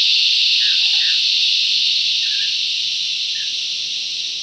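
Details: Loud cicada chorus in bush, a continuous piercing high buzz that slowly fades in volume toward the end, with a few faint short chirps from other creatures underneath.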